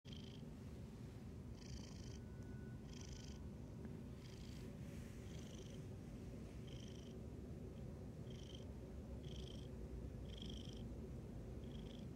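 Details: Male black cat purring very loudly while sitting on a couch with its owner indoors: a steady low rumbling purr throughout, with soft hissy breath-like bursts recurring about every second.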